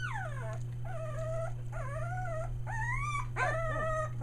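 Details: Australian Shepherd puppies, one day short of three weeks old, newly found their voice near Mooresville, North Carolina: a run of high whines, each sliding down or arching, about five cries in four seconds over a steady low electrical hum.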